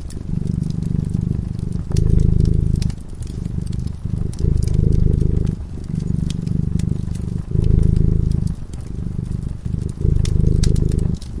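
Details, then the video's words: Domestic cat purring while asleep in front of a crackling fireplace: a deep, steady low rumble that swells and eases in cycles roughly every one and a half to two seconds, with sharp pops and crackles of the fire throughout. "Purring cat"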